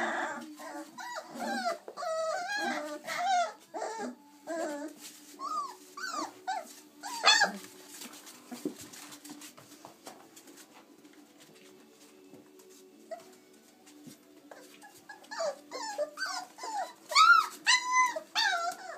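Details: Playful 26-day-old chocolate Labrador Retriever puppies, a litter of six, indoors; bursts of high arched yelps and squeaky whines, a quieter middle stretch, then a renewed run of rapid yips toward the end.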